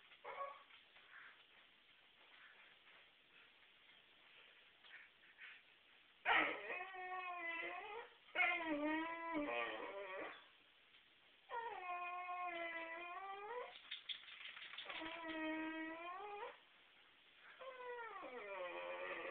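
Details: Sammy the whippet, kept out of the trash can, whines and howls in long drawn-out harmonic cries, some rising then falling, in separate bursts of one to three seconds with short pauses between, indoors with faint background noise.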